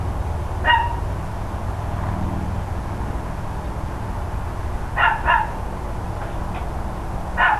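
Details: Barking from the neighbours' dogs, recorded around 10 AM on 13 October 2012: a single bark, a long gap, a rapid double bark, then one more at the end, all over persistent low-pitched background rumble.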